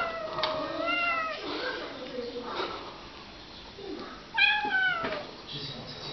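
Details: Kitten Tiger, among several kittens at play, acting angry: a couple of wavering, falling meows separated by quieter stretches, with soft human speech in between.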